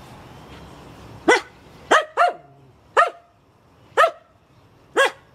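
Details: Finnish Spitz in a backyard barking at birds that landed in a tree: six sharp, high barks, two close together, then the rest spaced about a second apart, over a soft background hiss.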